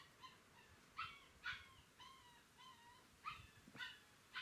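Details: Galgo Español puppies from a 2018 litter, recorded 30 May 2018, give quick overlapping squeaky whines and yelps, several per second, some rising then falling, with soft thumps and rustling underneath.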